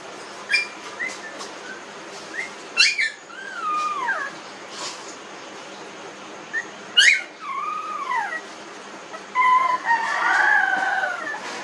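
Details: Newborn puppies, 19 days old, whining: thin tonal squeals sweep downward in short bursts near three and seven seconds, with scattered higher squeaks, then several overlapping whines crowd together toward the end over steady background hiss.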